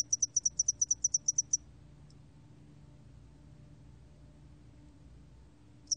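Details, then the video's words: Spotted-wing hairy cricket: one brisk train of about twelve high-pitched pulses in under two seconds, a single stray pulse, then a long quiet stretch with just a faint low hum before chirping restarts at the end. "점날개털귀뚜라미, 여러번 듣기, 곤충소리"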